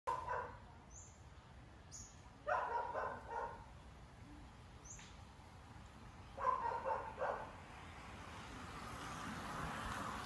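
A dog barks in short bursts, a few seconds apart, with faint high chirps in between.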